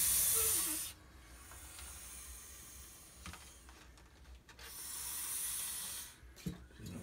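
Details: Blood python, a female being handled, gives a loud breathy hiss of about one second at the start, then after a quiet pause a second, longer and softer exhaled hiss, with faint handling noises.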